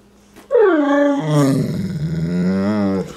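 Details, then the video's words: Pet dog, coaxed with turkey, trying to say I love you: a drawn-out, talking-like whine that starts high, slides down, then holds a wavering, warbling tone for about two and a half seconds, in a quiet room. "funny talking dog"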